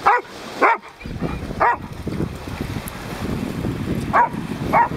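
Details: An off-leash dog at a dog beach barks persistently at another dog and will not leave it alone. Five sharp, short barks come at uneven intervals over steady surf-like background noise.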